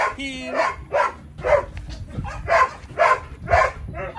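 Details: Belgian Malinois named Psycho barking, a whine-like onset then about seven barks roughly every half second, with a person speaking underneath.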